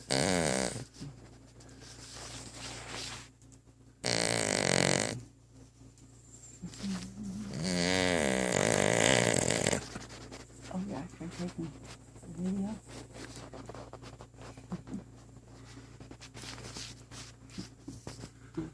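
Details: A sleeping female dog, head resting on the bottom of a coffee table indoors, snores in rough, rasping bursts near the start, around five seconds and around eight to ten seconds; clicks and quieter room noise fill the gaps.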